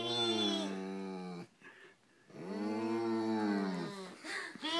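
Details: Oliver, a golden retriever, grunts and moos like a cow when talked to like a baby: two long, low, drawn-out moaning groans indoors, separated by a short quiet gap, with a brief higher vocal sound near the end.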